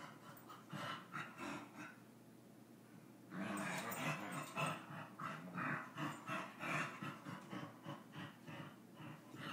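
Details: Dog play-fighting with his brother; after a quieter opening, a run of throaty growls and huffs starts around three seconds and repeats in quick uneven pulses, with panting and scuffles underneath.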